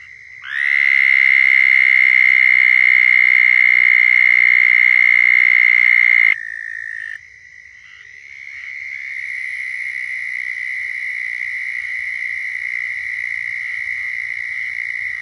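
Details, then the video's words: Southern toad mating call in Florida: a loud, even trill starts at once and holds for about six seconds, then stops abruptly, while more distant toads keep up overlapping trills for the rest. "Southern Toads Calling in Florida"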